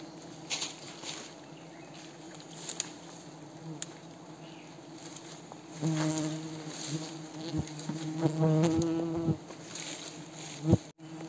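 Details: Mountain cliff honey bees swarming as villagers in Wui village harvest their honey from heights; a steady buzzing drone that swells louder midway with layered humming tones and scattered clicks and taps.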